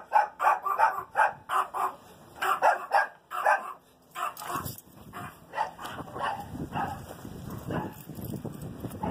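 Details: Small Chihuahua dogs giving quick yappy barks in a fast run at first, then a break with clatter and rustling, followed by scattered barks amid background noise.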